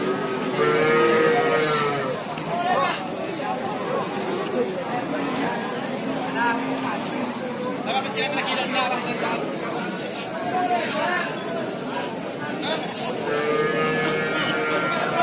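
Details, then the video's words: Madura cattle at a market: a rising-then-falling harmonic moo near the start and another at the end, over steady crowd chatter, talking and music. "Sapi Madura"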